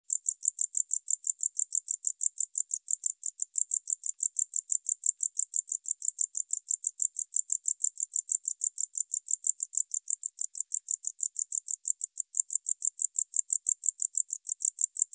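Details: Tropical house cricket (Gryllodes sigillatus) singing near Starnberg, Germany, on 19 November 2021, recorded with an ultrasound detector; steady high, dry chirps repeated about three times a second without pause over a quiet, clean background.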